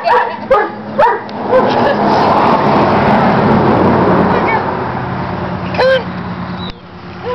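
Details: Sable puppy giving short high yips, a quick burst near the start, then a long stretch of broadband rushing noise with a couple of sharper yelps near the end.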